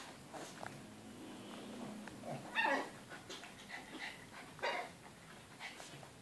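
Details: A pet Chihuahua and a Shih Tzu play-fighting inside a crate, recorded 8 June 2013: low, drawn-out growling runs under scattered snaps, grunts and rustling, with a louder yelp-like burst midway.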